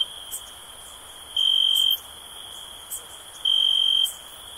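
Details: Two bright, high-pitched cricket trills about half a second long, two seconds apart, ring out over a constant thin, high drone with a couple of faint ticks.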